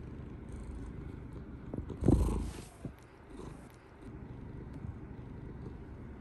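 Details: Domestic straw-coloured tabby cat named Rita purring while nuzzling up to her owner at bedtime, a continuous low vibrating rumble broken midway by a brief thump of bumping against the camera.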